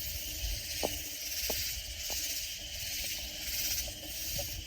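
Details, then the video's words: Loud katydids near San Antonio in the Texas Hill Country, a dense high hissing chorus that swells and fades in soft pulses, with a few sharp clicks and low rumbling underneath. "Sounds of Loud Katydid Insects"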